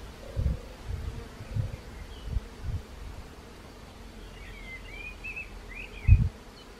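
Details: Bees at Fontanile Frera, Cologno al Serio, on 18 May 2020: a faint, wavering buzz at the start, half-masked by low gusty thumps, with distant small birds chirping near the end.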